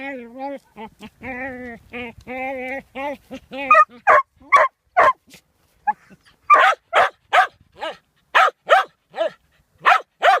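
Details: A playful, stone-chewing dog first makes a fast series of short, pitched yips and whines, then switches to loud, clipped barks repeated roughly two to three times a second, with brief gaps between them.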